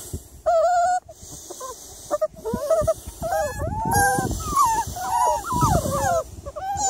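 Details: Miniature Labradoodle recorded on an evening of 3 July, giving high, wavering whines in short bursts separated by brief silences, with a few dull knocks and thumps underneath.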